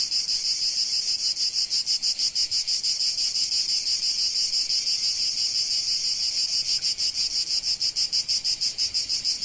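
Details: Chorus of cicadas in sunlit Provence, their high rasping buzz continuous and evenly throbbing roughly three pulses per second, unbroken from start to end, nothing else audible.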